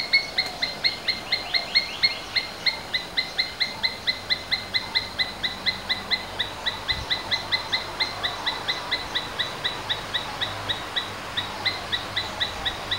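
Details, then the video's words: Asian palm squirrel, kept domestically, repeating quick bright chirps about four times a second in an even, unbroken run, somewhat quieter, against a soft steady background hiss. "Domestic Squirrels Sounds various versions | Asian Palm Squirrels"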